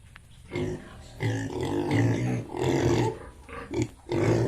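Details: Yorkshire and Hampshire pigs on an Assam farm in Bongaigaon, loud harsh growling grunts and squeals in long overlapping bursts, nearly continuous, close to the recorder.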